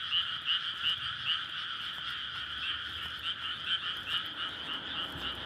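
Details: Frogs calling for courtship in a May rice paddy at night, surrounded by housing; continuous dense chorus in two steady bands with brief brighter croaks near the start and middle, repeated roughly every half second.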